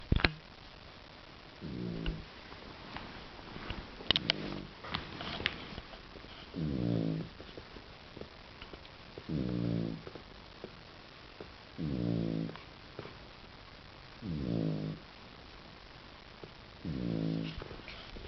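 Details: A guide dog puppy asleep indoors, snoring softly: low, rattling breaths about every two and a half seconds, six snores with quiet pauses and faint rustles between.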